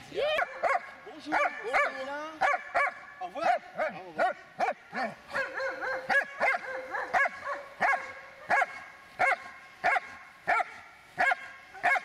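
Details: Eight-and-a-half-year-old Dobermann in attack training on command, barking steadily: sharp, ringing barks repeated at a fairly even pace, about one and a half per second, some run together into rapid doubles.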